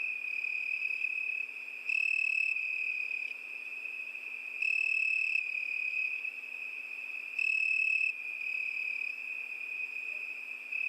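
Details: Unbroken high-pitched cricket trill, sharp and metallic, with three stronger, brighter surges spaced roughly three seconds apart; otherwise quiet apart from faint hiss.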